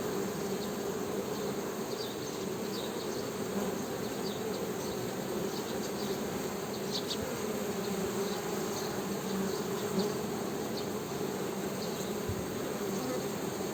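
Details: Continuous buzzing hum of honey bees, even and unbroken, with scattered faint high ticks and chirps in the background.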